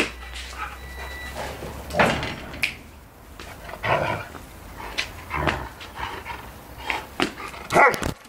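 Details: Angry, furious Rottweiler, a household dog, barking indoors in a small room: single harsh barks roughly every one and a half to two seconds, with low whimpering between them and a steady low hum underneath.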